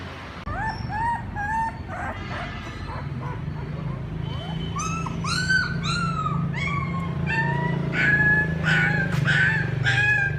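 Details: Puppies calling their mother: several overlapping high, arched whimpers and yelps, some rising then falling, coming in irregular bursts over a steady low hum that grows louder toward the end.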